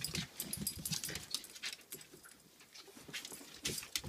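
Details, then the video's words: Pomapoo puppy, indoors, angry at a Pomeranian that plays back: quick bursts of rough, snarly growling and scuffling, several per second, with brief quiet gaps between scrappy outbursts. "Angry pomapoo puppy takes on pomeranian"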